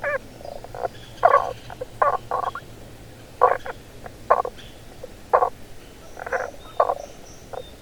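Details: A male Tago's brown frog (Rana tagoi), hidden underground beneath stones, gives short, low, knocking croaks in irregular, slightly muffled bursts, calling to females.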